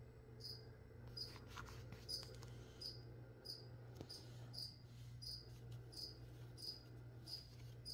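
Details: Indoor cricket recorded alongside plant spraying, giving crisp high chirps at a steady pace of roughly 85 a minute, set against a continuous low electrical hum and occasional soft taps.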